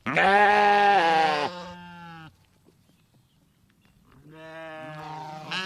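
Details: A sheep gives a long, wavering baa that fades, then after a pause of about two seconds begins another bleat that swells in strength.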